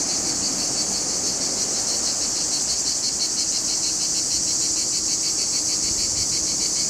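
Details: Chorus of male cicadas in Larissa, Greece, in July: loud, unbroken shrill buzz with rapid rhythmic pulsing, filling the whole stretch without pause, captured on a camcorder in surround sound.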